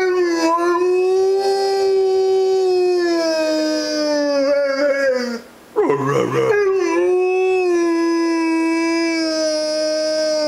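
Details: A Rhodesian Ridgeback howls and 'talks' to his owner: a long, loud, steady drawn-out howl, rich in harmonics, broken by a brief gap and a short warbling yodel around the middle before the sustained howl resumes.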